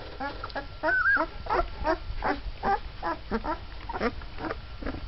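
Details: Twelve-day-old Mastiff puppies of a litter, just starting to walk, whimper and squeal in a rapid string of short rising and falling cries, several pups overlapping, with one longer wavering whine near the start.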